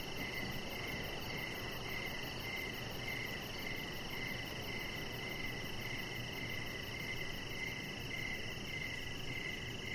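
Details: Evening cricket chorus heard from a deck: regular bright chirps roughly twice per second layered over a continuous shrill high trill and broad background hiss.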